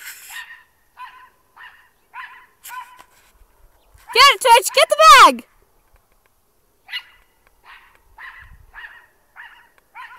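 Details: Pet dog barking at a trash bag it mistook for an intruder: short, fairly quiet barks in uneven bursts, with a louder wavering rising-and-falling cry in the middle.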